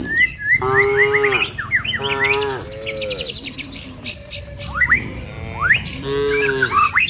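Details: Cattle herd driven along a rural village road toward its pen, passing trees and wide rice fields: four drawn-out, level moos about a second each, spaced evenly, with birds twittering throughout.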